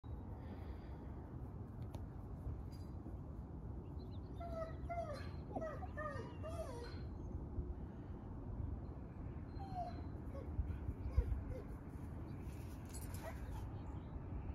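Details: Siberian Husky named Princess Blue playing with her friends through a fence: clusters of short, high, sliding whimpers and yips around the middle, a few more later, over a steady low rumbling background.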